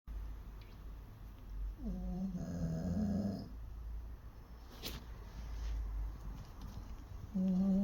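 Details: Aging Jindo dog snoring, its snoring said to worsen with age; a long rasping snore with a buzzy low tone lasting about two seconds, then quiet breathing and a fresh snore starting at the end.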